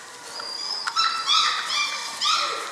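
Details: German Shorthaired Pointer puppies from a litter of seven, six weeks old, giving high, tonal whines that rise and level off, in several short overlapping bursts with bright harmonics over a quiet background.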